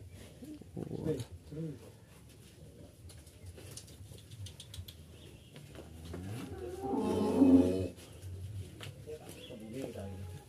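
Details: Qurban sacrificial cattle being loaded from a farmer's pens for transport to Jakarta. One loud, drawn-out, low moo of about a second rises out of the background, with human voices and handling noise around it.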